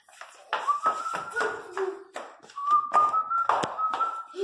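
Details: Teco, a three-month-old Miniature Pinscher puppy, cries loudly with long, high, steady whines that rise slightly and hold, two extended cries broken by a short lower whimper, over tapping and handling noises indoors.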